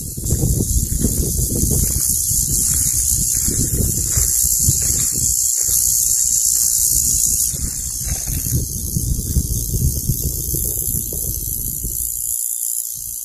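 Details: A male California cicada, heard while hiking, gives a continuous, high, hissing buzz as a mating call to attract females, over low wind rumble.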